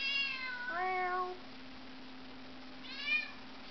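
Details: Domestic pet cat indoors in a home with several cats: a drawn-out meow with stepped, wavering pitch, then a second shorter meow about two seconds later, over a steady low hum.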